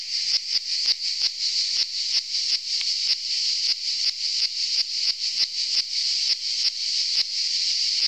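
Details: A cicada on Saint Eutrope hill, Orange, Vaucluse, France, 15 July 2018, sings a loud, continuous high-pitched buzz, pulsing with brief rhythmic breaks.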